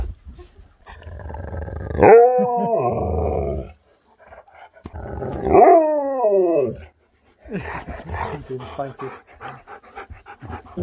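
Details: Excited Huskies that can't wait to go outside and play: two drawn-out, harmonic howls, each about one and a half seconds, starting high then sliding downward, separated by a brief silence, followed by scratchy clicking and shuffling sounds.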